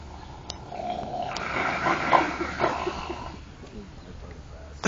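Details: Seals at Henry Vilas Zoo in Madison, Wisconsin, possibly fighting, make weird, rough, moaning growls, mixed with a person's nearby voice.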